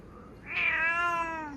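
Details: A domestic cat calls its owner after another cat frightened it away from its food. It gives one loud, drawn-out meow that rises and then slowly falls, heard indoors against a quiet background.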